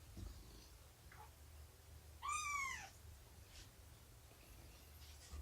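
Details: Domestic cat at a morning nursing and play session with Shelby, an estimated two-year-old rescued mother, and her kittens; one clear harmonic mew curving up and down, with a faint short cry earlier and a low background hum.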